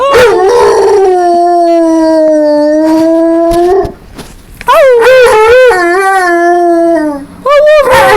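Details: Domestic dog howling on its owner's prompting: a long steady howl, a short pause, then a wavering, pulsing howl that rises and falls, ending with a brief higher howl.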